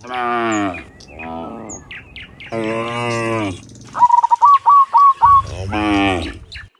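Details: Dozens of cows on their afternoon walk home from the fields to the pen give three long, deep moos, one weaker and shorter, while a bird adds a rapid run of repeated chirps near the end.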